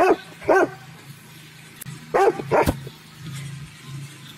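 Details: Dog barking loud in a garden, two quick barks half a second apart, then a pause and another close pair of harsh barks, over a faint low steady hum.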